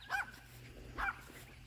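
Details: Yorkshire Terrier barking at a groundhog while its owner warns it will get bitten; two short, sharp, harmonic barks about 0.9 seconds apart, over a low steady hum.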